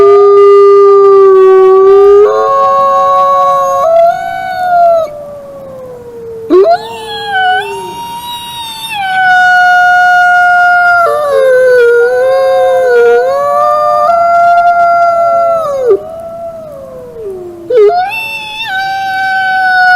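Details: Wolves howling in chorus: several long, smooth voices overlap throughout, sliding down and rising again, with new howls starting every few seconds and a bright upper voice entering near the end.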